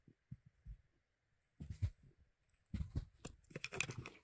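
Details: Indoors, the house squirrel Molly tears at a hazel branch. A few soft bites are followed by loud bursts of rasping, crackling crunches, dense and ragged, with tearing bark-like sounds.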